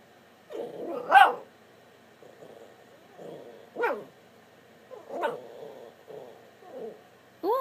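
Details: Pet dog 'talking' back while walking off, a series of short grumbling barks and whiny yips spaced about a second apart, some soft and throaty, one louder.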